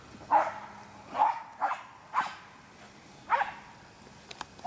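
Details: American Eskimo Dog, a white-coated Nordic Spitz breed, giving about five short sharp barks spaced unevenly over a few seconds, each a brief burst with a faint tonal core.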